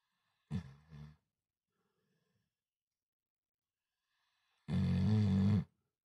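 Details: Sleeping Cane Corso snoring: a short, low, rasping snore with a brief break, then after about three seconds of quiet a longer, steady, droning low snore lasting about a second, in a quiet indoor setting.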